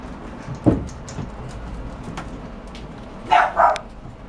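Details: Bulldog puppy giving a quick double bark near the end after a soft thump and quiet room noise.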